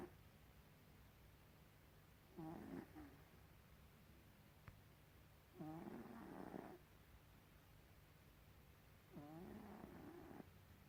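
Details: Gribouille, a pet cat, snoring: three raspy breathy snores about every three and a half seconds, each lasting roughly a second, over a steady low hum with quiet gaps between.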